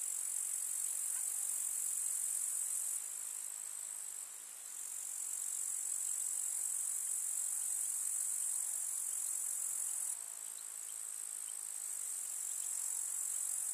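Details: Summer meadow grasshoppers, recorded in the countryside among wildflowers, produce a continuous piercing, buzzy trill. The chorus briefly thins around the four-second mark, then grows fuller again and shifts once more near ten seconds.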